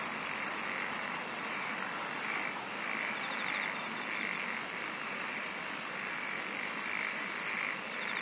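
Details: Insects in a dense nature chorus: a steady high shrill hum runs throughout, with bursts of rapid pulsed trilling at the top of the range during the first two seconds and soft rhythmic pulses beneath.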